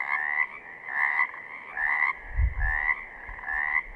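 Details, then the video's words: Pacific chorus frogs calling in southern Oregon, raspy rising croaks spaced under a second apart in a continuous chorus, with a short low thump midway. "Pacific Chorus Frogs - photo gallery and calls"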